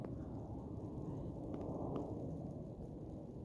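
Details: Outdoors in falling snow, there is soft crunching underfoot and low rumbling background noise, with no animal calls.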